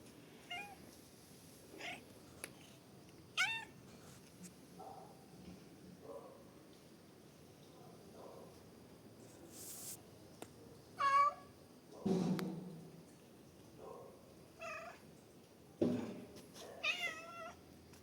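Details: Domestic cat giving several short meows scattered through the recording, some rising then falling, with quiet pauses and soft background rustling between calls.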